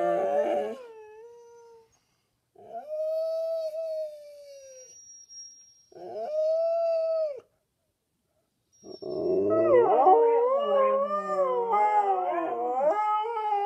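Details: Two Siberian Huskies howling a duet in unusually low voices, one wearing a cone after minor surgery; long sustained steady howls separated by pauses, then both voices overlapping in a wavering, intertwined chorus.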